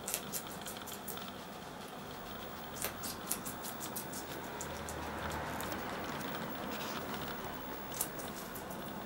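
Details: Poopie the agouti guinea pig and Nacho, white and brown, munching red pepper: steady crisp crunching throughout, with brief louder bites, set against soft indoor background noise.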